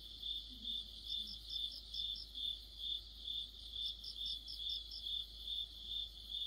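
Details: Crickets and other insects chorusing in the heart of autumn: a steady high trill pulsing in regular beats about twice a second, overlaid by a brighter, higher chirping layer in short bursts; faint low murmur underneath.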